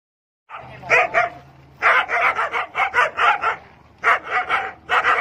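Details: Kohati Gultair dog, a Pakistani breed offered for sale in Khyber Pakhtunkhwa, barking in bursts of sharp repeated barks, a group of four then a run of about six, pausing between volleys.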